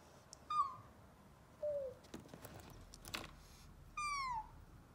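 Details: Emergency-rescued kitten, one that was nearly run over by a car, cries a short high meow, then a softer lower one, faint clicks and handling noise, and finally a longer drawn-out meow sliding downward.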